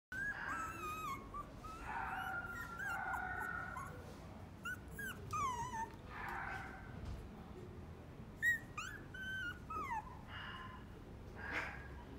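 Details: Dogs at a pet shop whimpering and whining indoors: high thin whines sliding up and down, overlapping in quick irregular bursts, with a few short yips.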